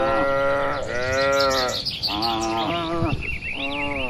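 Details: Herd of cattle gathered in an open field in quiet village surroundings, grazing; three sustained lowing moos follow one another with short gaps, while small birds twitter at high pitch behind them.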